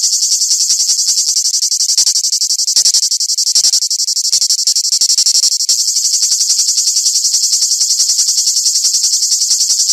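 A cicada sings a loud, high, shrill buzz that pulses rapidly without a break.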